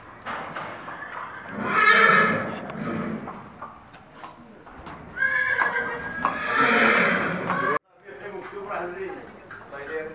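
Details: Barb horses gathered near Meknes, Morocco, ahead of a breeding contest; two shaky neighs a few seconds apart, mixed with men talking loudly and hoofbeats nearby.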